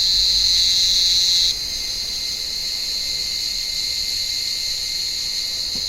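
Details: Cicadas calling from an olive tree on a warm evening while blind cats climb the branches to hunt them; a loud, steady high buzz that drops in volume after about a second and a half, then continues as a continuous droning whine.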